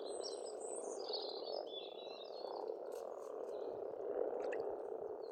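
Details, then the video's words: Steady croaking chorus of many frogs at a spring pond in Estonia, a constant rough drone beneath scattered high bird twitters and short chirps. "Расслабляющее пение птиц и лягушек, весна, природа."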